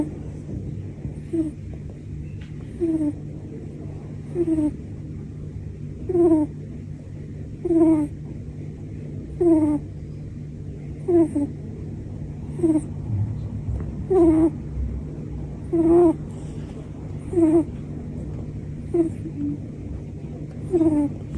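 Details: Sleeping pet cat snoring, one of various snoring styles shown: short nasal, whistly snores repeating steadily about every one and a half seconds, each breath a brief rasping buzz with a faint rising tone, over a constant low electrical hum.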